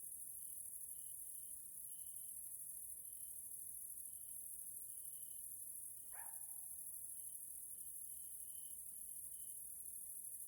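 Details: Grasshoppers (Caelifera) in an evening nature area in Hungary, Central Europe: a constant high-pitched insect hiss, scattered short tonal pulses, and one brief falling sweep midway.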